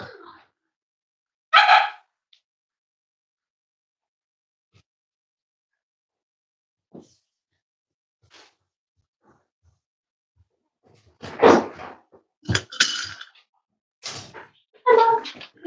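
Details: Cavalier King Charles Spaniel puppies almost 8 weeks old, indoors at a family home: a single high harmonic yip early on, long quiet stretch, then a cluster of sharp barks and yelps near the end.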